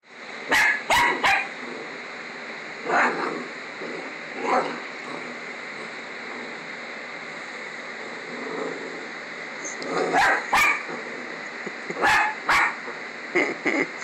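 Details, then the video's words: Coraline the dog barking at a stuffed toy version of herself that she dislikes: sharp, irregular bark bursts at about one, three, four and ten to thirteen seconds, with quieter stretches between them and faint room noise. "Dog Hates Fake Dog"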